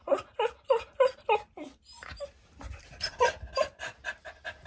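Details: Food-loving American Cocker Spaniel, a very chatty pet dog, giving a quick burst of five or six squeaky whines, then breathy panting-like sounds and softer whimpers after a short gap.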